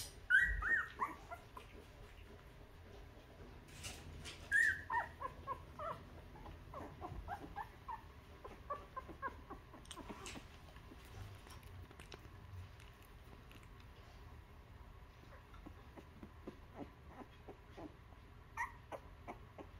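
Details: Newborn puppies, two weeks old, nursing from their mother while she cleans them; a few thin, high squeaky whimpers near the start, then mostly soft shuffling and sucking noises with occasional faint cries.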